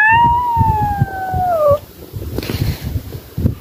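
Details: A grumpy house cat, a mother easily annoyed with her kittens, gives a drawn-out moaning yowl that slowly falls in pitch and stops sharply after nearly two seconds. Soft thumping and handling noises follow.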